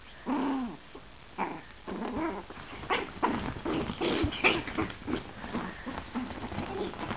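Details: Chihuahua puppies wrestling playfully in bed; rapid run of short growls, grunts and yips, irregular and tumbling over one another, with rustling from the scuffle.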